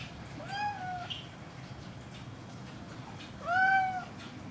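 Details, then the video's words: Cat giving two separate meows about three seconds apart, each a smooth, tonal call that rises then levels off, the second louder than the first, with quiet background between them. "the cat singer"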